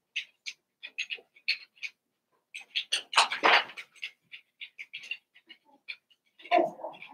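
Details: Cavalier King Charles Spaniel puppies, Daisy's litter of six merged with Robin's two pups, giving a run of short high squeaks and whimpers in quick irregular bursts, with a louder, denser cluster of squeals midway.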